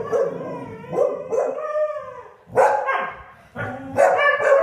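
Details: Sky, a Siberian husky, howls together with two English springer spaniels, Marshall and Sadie, after being annoyed by them. Wavering tonal howls break into short barky bursts, with several overlapping voices and choppy pauses.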